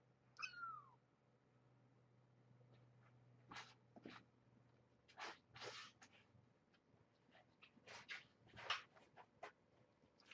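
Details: Kitten Egon, one of brown tabby Janine's litter at Purrfect Pals rescue, gives a brief high meow sweeping steeply down at the start; afterwards only rustling, scratching and bumps from kittens playing in the cage, with a faint steady hum.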